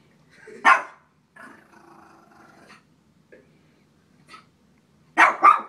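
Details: A small Shih Tzu barks at a frog, sharp high barks in quick pairs at start and end with a softer rumbling growl between; finding: Shih Tzu.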